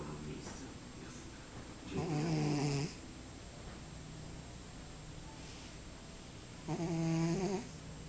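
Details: A cat snoring into a glass of orange juice indoors. Two buzzy, resonant snore bursts, each just under a second long and about five seconds apart, with quiet breathing between them.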